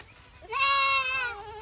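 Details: One drawn-out, level bleat from a goat on a local Boer goat farm in a Nepali village, ending in a softer trailing tone.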